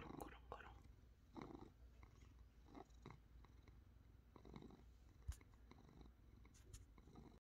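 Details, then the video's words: House cat on a Sunday morning giving a continuous low, throaty purr, pulsing gently with each breath at roughly one-second intervals, with a single small click partway through. "일요일 아침, 고양이 산이의 뀨릉"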